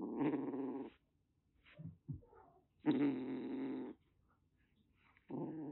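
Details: Rescued calico kitten, roughly six weeks old, in Kagoshima, Japan, threatening: three harsh, rasping hiss-growls lasting about a second each, with quiet gaps and small rustles between them.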